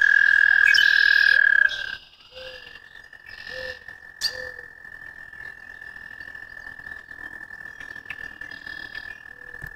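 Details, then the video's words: American toad giving a long, steady, high musical trill on a single pitch, loud for nearly two seconds and then carrying on more softly without a break to the end, with bird chirps and twitters above it. "American Toad - Calls"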